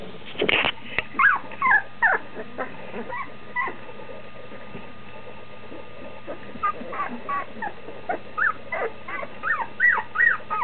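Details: Standard Schnauzer puppies close to two weeks old, eyes opening, calling for their mother outside the whelping box; a thudding knock early, then scattered short whines building into a run of repeated rising-falling squeaks.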